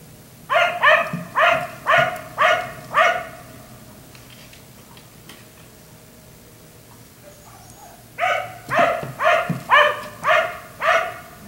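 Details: Black Labrador retriever left out in a neighbour's yard until 1am, giving two bursts of rhythmic barks, about six each, separated by several seconds of quiet with low background hum.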